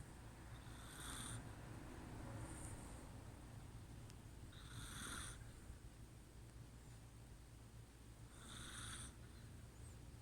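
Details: Sleeping Chihuahua Kuu snores in a regular rhythm, with four airy, rasping breaths spaced roughly three to four seconds apart over a faint constant low drone.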